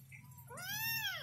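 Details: Kitten lost and looking for its mother gives one long, loud, rich meow that rises, holds and then falls away, over a steady low indoor hum.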